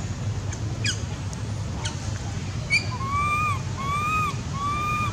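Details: Baby monkey near Angkor Wat crying for its mother: three drawn-out, arched wailing notes, each rising then falling, come in close succession in the last two seconds. Earlier there are a few sharp clicks over steady low background rumble.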